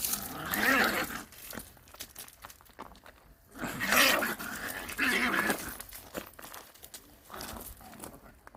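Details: Country dog and visiting city puppy in a play fight, the city puppy seemingly afraid of the country dog; rough, harsh growling bursts at about one, four and five seconds, with quieter snarls between and indoor rustling.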